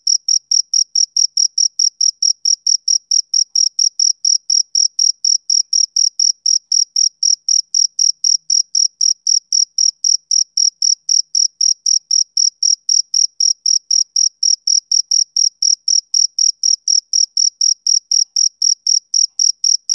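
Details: A male cricket keeps up relentless high, shrill chirping, its pulses evenly spaced at about four a second for the whole stretch, a typical summer evening sound with no other noise.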